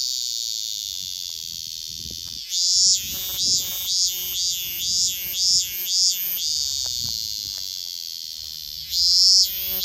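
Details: Minmin cicada held in the hand, recorded 10 August 2024, producing a loud continuous high buzzing drone with rhythmic pulsing surges, about eight throbbing swells in quick succession before settling back to a steady hum, then swelling again near the end.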